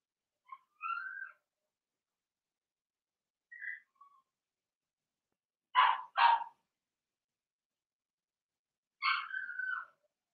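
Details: Blenheim Cavalier King Charles Spaniel puppies from Remy's first litter of six, two females and four males whelped March 7–8, in an indoor puppy pen: scattered short whimpers, then two loud back-to-back yelps and a final wavering whine, with silence between.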